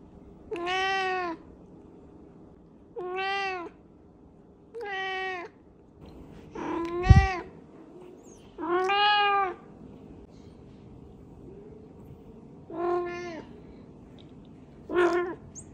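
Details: Talkative domestic cat meowing over and over: seven drawn-out, clear harmonic meows with rising-then-falling pitch, spaced irregularly about two seconds apart, plus one brief thump partway through in a quiet room.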